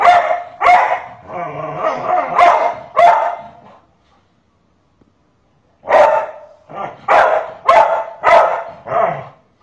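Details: Pet dog barking indoors while stepping in to stop a mother from punishing a boy: sharp, loud barks in quick bursts, a run of several, a two-second silence, then another rapid string of barks.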